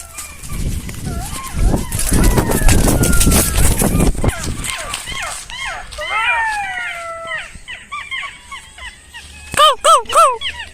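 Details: A pack of golden jackals, with about three seen nearby, calls from inside woods at a park in Basirhat in a wavering chorus of rising and falling yelps, heard after noisy talk and rustling as night falls.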